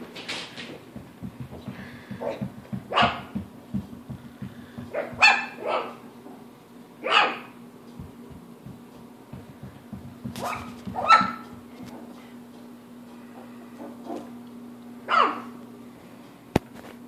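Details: Wire fox terrier family, father, mother and four puppies aged three and a half weeks, at play; scattered high yips and short barks every second or two, over a steady low hum.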